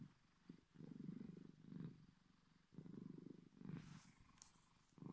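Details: A male Bengal cat purrs deeply, an unusually deep, big-cat-like low rumbling throb rising and falling with each breath.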